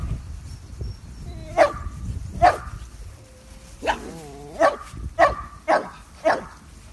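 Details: Mini Dachshund giving a run of short, sharp barks, roughly seven in all, with a brief wavering yowl in the middle, against a quiet indoor background.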